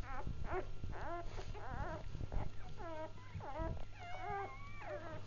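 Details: Litter of newborn Labrador Retriever puppies giving continuous squeaky, wavering whimpers, several voices overlapping, some rising into thin drawn-out whines near the end, with a low background hum and handling noise.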